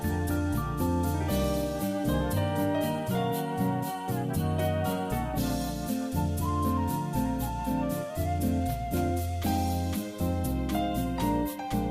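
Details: Gentle flute and electric piano background music plays steadily, with no cat or other animal sounds audible.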